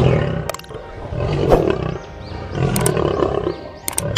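Deep, rumbling lion roars, cut together in quick succession with background music.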